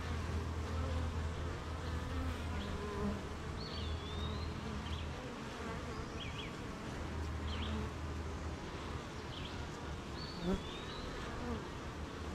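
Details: Honey bees humming at their hive during morning rain, surrounded by fields and gardens: deep, even buzzing drone filling the whole stretch, with scattered thin bird whistles and chirps above and one sharp tap near the end.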